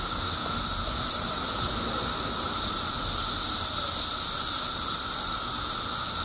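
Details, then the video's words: Periodical cicadas by the billions in Illinois, emerged after 17 years underground, in a steady, unbroken high-pitched chorus. A shrill hissing drone holds level throughout, with a fainter lower tone running beneath it. "Billions of Periodical Cicadas Emerge After 17 Years Underground Cicadas Making Noise"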